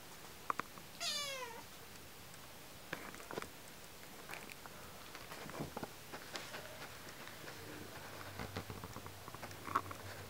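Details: Domestic cat, climbing and jumping about, utters a single brief descending meow early on; afterwards only soft clicks, bumps and low household hum.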